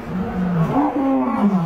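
A lion gives a deep, drawn-out roar, a low rough tone that rises slightly and then sags.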